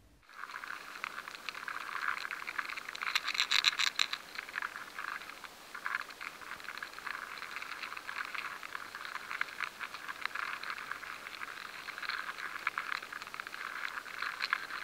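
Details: Grain weevil larvae infesting stored rye make a steady dry crackle of tiny clicks and scratches as they feed inside the grain, in a high-sensitivity stored-product recording.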